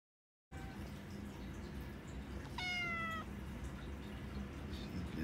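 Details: Fluffy the cat meowing loudly on a couch beside Phoenix, a sleeping pitbull she has woken, wanting attention and to be petted: one short, clear, harmonic meow lasting about half a second and falling slightly, over a steady background hiss.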